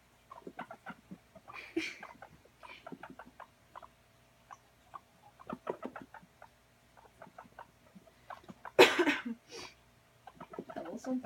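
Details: Guinea pig running about during playtime, giving a long series of short clucking pulses and squeaks, uneven in rhythm, with one loud burst of rustling noise near the end and soft hum underneath.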